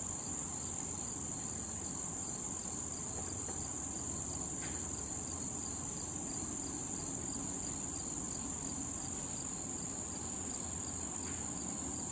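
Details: Cricket sounds around late-summer wild tall thistle where bees and butterflies feed: an unbroken shrill whine, steady faint pulses beneath it, two sharp clicks, and low-frequency rumble throughout.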